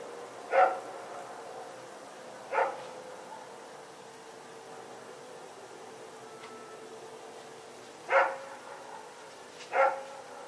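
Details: Night recording from Sep 21, 2018 of Rex and another dog running around: four single barks at uneven intervals, with long quiet gaps between them over faint background noise.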